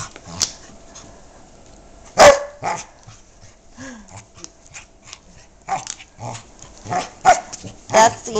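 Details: While he bites pink shoes indoors, Yogi the dog gives a string of short, scattered barks and yips: one loud bark early, then several more toward the end. A woman's voice is heard between them.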